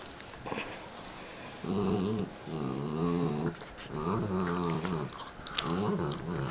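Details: Two pet dogs growling at each other while eating bones indoors; low, rumbling growls in bursts about a second long, rising and falling, repeated through the clip with gnawing and clicking sounds between.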